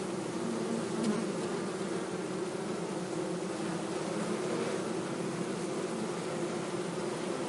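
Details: Bee producing a constant, even buzz, a droning hum that holds steady throughout with a slight swell near the start and no other sounds.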